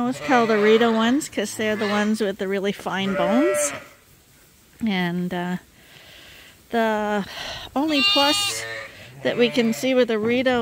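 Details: Bottle-fed lambs at Ewetopia Farms call in bursts of quavering, harmonic-rich bleats, some dipping then rising, broken by a few seconds of near silence and another brief pause.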